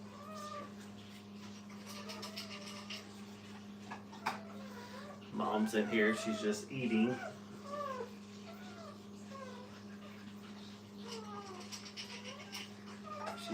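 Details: A litter of Brittany puppies beside their mother at a kennel, mewing whimpers in quick overlapping bursts, with a louder rough cluster of cries midway, then scattered thin whines again over a steady hum.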